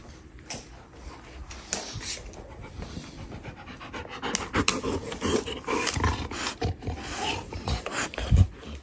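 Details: Domestic dog indoors panting and snorting in rapid, breathy bursts, with occasional sharper snorts, while a person talks to it about a bully stick.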